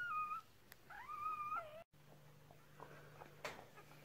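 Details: Whimpering from puppies just delivered by a Red Merle Cardigan Welsh Corgi, first litter of six, 2018: two drawn-out, wavering high whines, then soft handling noises over a steady low hum indoors.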